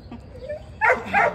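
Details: Mixed-breed dog brought in for training because it pulls and lacks manners; two quick, high barks close together, with a trainer's voice speaking just before.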